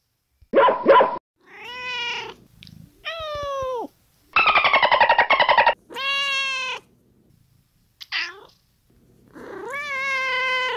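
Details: Domestic cat meows replayed for a children's brain game with eight meows to count: a mix of short paired calls, long harmonic meows, a rapid pulsed trill, a brief squeak and a final rising meow, separated by pauses.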